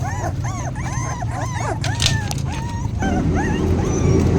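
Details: Several hungry puppies crying for food, giving quick rising-and-falling whines about four per second, then a few longer thin whimpers, over steady background noise and faint voices.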